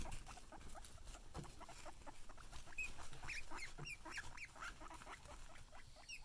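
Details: Pet guinea pigs wheeking excitedly on seeing their keeper: a rapid stream of short, upward-sweeping squeaky whistles, several each second, overlapping and uneven in rhythm, with soft rustling and patter beneath.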